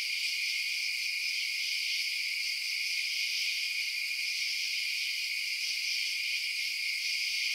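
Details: High, continuous cricket chirping at night, a seamless layered trill that never pauses or changes in strength, with no other sound present.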